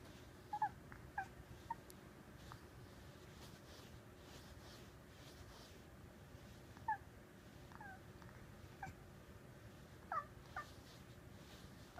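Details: A cat indoors, watching birds beyond the window, seemingly mimics them with faint, scattered chirps and trills in loose clusters, separated by quiet stretches.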